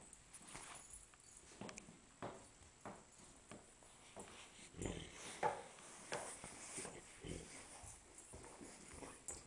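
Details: A Great Dane sings on command in short whimpering, moaning bursts, with an owner's voice between them; it sings more and louder when it wants something.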